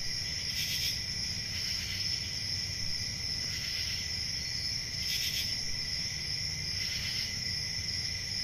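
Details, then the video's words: A steady, piercing cricket trill carries through a summer night. Intensified chirping bursts come near 0.7, 5 and 7 seconds against a muted low-frequency murmur. "Relaxing Cricket Sounds For Sleep Ambient Summer Night"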